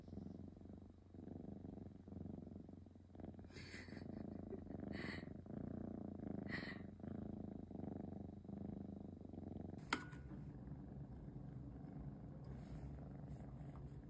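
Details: Pet cat purring continuously in a deep pulsing rumble indoors, with a few short human voice sounds layered on top and a sharp click around ten seconds in.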